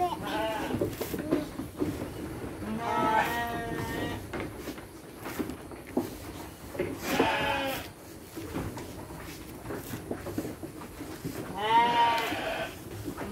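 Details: Sheep at feeding time with children handing out dry feed, three drawn-out tremulous bleats spaced several seconds apart, amid ongoing Indonesian conversation and handling noises.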